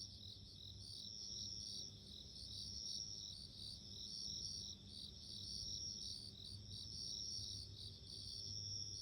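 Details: Ringing insect song of a bell cricket: sharp, tinkling high pulses repeating in short regular bursts, layered over a constant high buzz and gentle low background hum.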